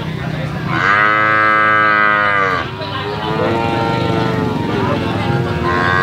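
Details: A calf moos in a drawn-out, melodious, harmonic call lasting about two seconds, then begins a lower, longer second moo with a steady, slightly wavering tone.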